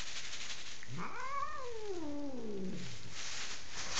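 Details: Enraged female house cat in Kitchener, Ontario, Canada, which would not leave the bed during painting work; one long yowl that rises sharply, then slides down slowly for about two seconds, over constant hiss.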